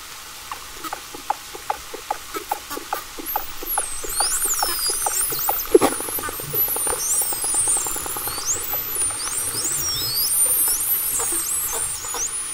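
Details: Common bottlenose dolphins give sharp broadband clicks, only partly captured because much lies above the recorder's range, then a rapid buzzing click train and many high, swooping frequency-modulated whistles of about 5–20 kHz.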